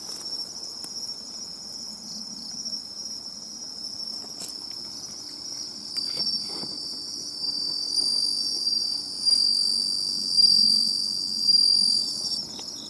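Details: Seaside bell cricket song on a nature-observation outing: a sustained high, bell-like ring that swells into louder pulsing phrases in the second half, with faint rustles and other insect trills behind.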